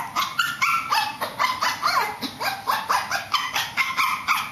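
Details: Shih Tzu dog upstairs giving a rapid, steady series of high, yappy barks, about four per second, each bark short and bright with clear overtones, no pauses throughout.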